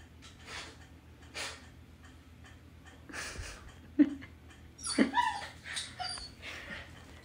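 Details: Siberian Husky puppy playing with a door stopper: soft, breathy whimpers and brief high yips, with sharper yelps around the fourth and fifth seconds amid light knocking and rustling.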